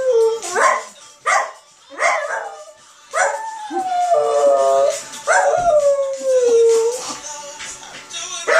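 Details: West Highland White Terrier reacting to Sam Smith's music; several short yelping barks, then long sliding howls falling in pitch, with music and speech in the background.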